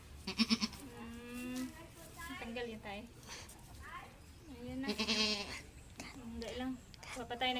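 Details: Goat kids receiving iron vitamin injections from their keeper; two wavering, tremulous bleats, one near the start and one around five seconds in, heard over people talking in Tagalog.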